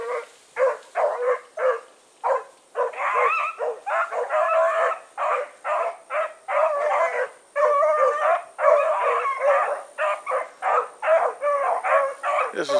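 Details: Evening run of the Blackreek pack, dogs named Choco, Dino, Johnny Ringo and Mingo, 16 August 2014: steady, rhythmic barking and bawling roughly twice a second for over twelve seconds, several voices overlapping, with a faint high whine behind.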